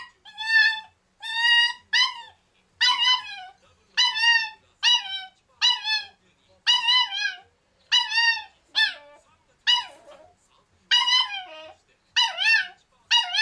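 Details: Chokota, a 0-year-old male black-and-tan rabbit dachshund puppy born 22 August 2015, gives high, whiny yips in quick bursts from his cage, demanding to be let out and played with.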